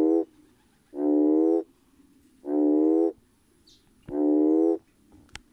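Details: Red toad (Schismaderma carens) calling to attract potential mates: four deep, buzzy, droning notes, each under a second long, with roughly a second of quiet between them, over a faint background hiss.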